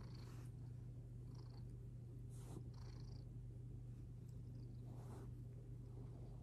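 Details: Kinta, a retired town boss cat taken home in 2020 after waiting three and a half years, purrs steadily and deeply throughout, a continuous low rumble with a few soft rustles and faint clicks above.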